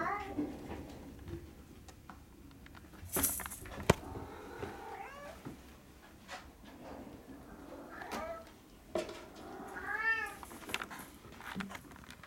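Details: Young kittens from Will and Ribbon's litter at Fantarja Cattery giving scattered high, arched mews with a few drawn-out cries, spaced by pauses, alongside knocks and rustling in a small room.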